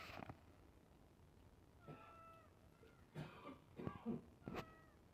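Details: Domestic cat waiting for iftar food gives a drawn-out, steady meow, followed by shorter, fainter meows mixed with clattering, cough-like and handling noises.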